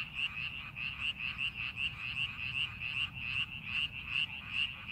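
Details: Frogs calling in rice paddies being prepared for farming: a dense chorus of rapid, pulsed croaks, roughly two to three per second, overlapping voices blending into a steady trilling wash with a faint low rumble beneath.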